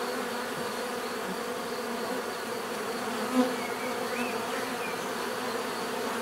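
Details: Continuous bee buzzing: a thick, even hum of many wings, with a brief louder pass near the middle and faint chirps of small birds in the background.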